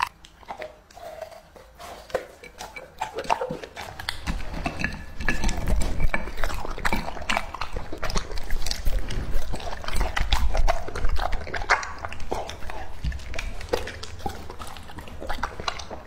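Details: Lucky, a two-and-a-half-year-old English Labrador Retriever, munches raw meat. Steady biting and wet chomping keep on for about sixteen seconds, growing louder and heavier through the middle, then easing toward the end.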